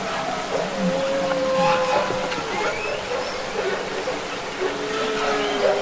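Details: Humpback whale song recorded underwater, from the Capitol Records ST-620 album: long, steady tonal moans held at mid pitch, a few brief rising whistles higher up, and a constant hiss of sea noise underneath.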